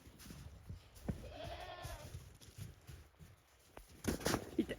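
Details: Goats at a handmade Japanese goat farm on 28 December 2023, walking nervously over snow after a big snowfall; one soft, quavering bleat early on, followed by sharp clattering knocks.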